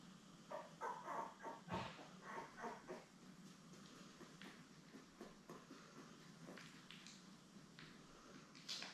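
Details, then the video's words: Newborn Labrador Retriever puppies, a litter of seven born May 24, 2021, with their mother Belle on a live puppy cam: rapid runs of short, high squeaky whimpers, several in a row with brief pauses. "Lab Puppies LIVE STREAM Puppy Cam"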